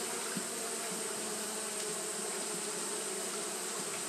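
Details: Japanese honey bees fanning on a hot day produce a dense continuous hum, steady in loudness, with a few short soft ticks over the massed wing drone.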